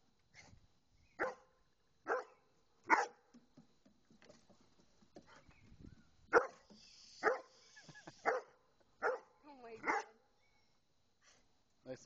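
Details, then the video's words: A Doberman barks at two swans: about ten loud, sharp single barks spaced a second or so apart, some in quick pairs, with quieter rustling and soft sounds between. "doberman vs 2 swans"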